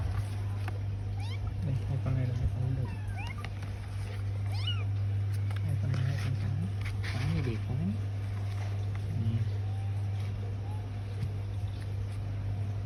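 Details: Bengal kittens mewing: short, high, rising-and-falling cries scattered through the recording over a loud, steady low hum, with people talking in the background.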